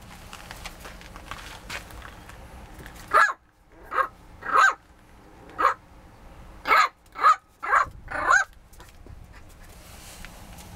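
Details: Indoor dog barking in frustration at not being allowed outside: after three seconds of low room noise, about eight short, sharp barks come in uneven bunches over five seconds, then quiet returns.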